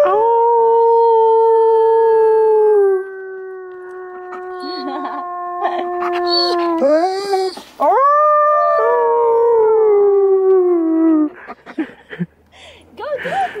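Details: Wolf at the Gentle Barn howling during a close encounter: a long steady tone, a softer wavering stretch, then a rising swoop into a second long falling howl, with a person's voice and faint music near the end.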